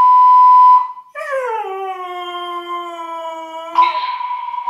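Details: A Siberian husky, upset by a fire alarm, howls back: a sharp electronic beep comes first, then a long harmonic-rich howl slides downward and holds low before the alarm tone cuts in again.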